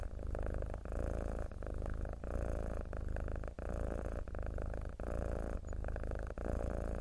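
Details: A mackerel tabby cat purrs steadily, a low rumbling vibration broken by brief pauses for breath.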